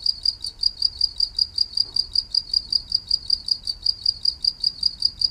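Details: Cricket chirping, offered as a soothing sound for rest: a steady, high, ringing pulse repeated about three times per second without pause, over a faint low rumble.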